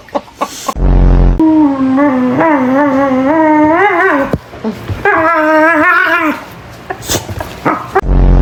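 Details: Dog making strange noises: two long wavering harmonic howl-like calls, the first about three seconds with warbling pitch, the second shorter and rising, bracketed by loud thumps and handling noise.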